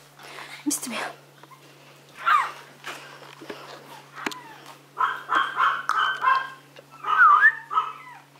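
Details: Young Maltese or Yorkshire terrier puppies from a kennel, playing at home: scattered sharp yips early on, then a run of quick high barks in the second half, with a person's voice mixed in.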